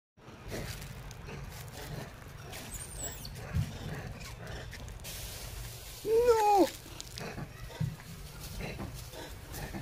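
A single loud monkey call stands out midway, a clear tonal cry that climbs and then falls with a slight waver. Before it come faint high thin squeaks and a constant low outdoor rumble.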